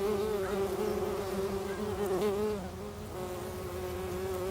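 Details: Bumblebees inside a bumblebee nest give a steady, low droning buzz with a rich stack of overtones.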